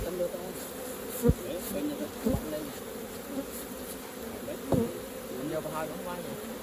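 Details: Constant wing drone of honey bees around a hive being harvested for honey, with several dull thuds from handling the hive and faint voices.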